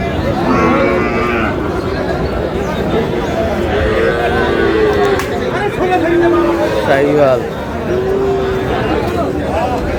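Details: Sahiwal bull calf, about six to seven months old, at the start of trading at Aftabganj cattle market, Dinajpur, Bangladesh, on 7 July; several drawn-out, wavering low moos rise above constant crowd chatter and close men's talk.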